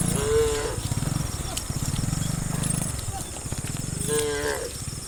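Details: Dozens of tame cows running and jumping down a hill in a neat line. A brief moo sounds at the start and another near the end, with steady low rumbling in between.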